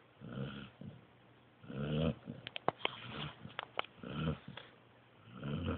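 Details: A sleeping pointer pup snoring: soft, breathy, low rasping snores at irregular intervals, about four breaths in six seconds, with a short run of faint clicks in between.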